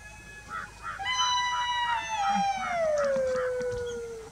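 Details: A golden jackal with its mate in the meadows of Kanha Tiger Reserve, Madhya Pradesh, India, gives a long, wavering, downward-sliding howl with quick yips behind it; possibly warning each other about the human intruders.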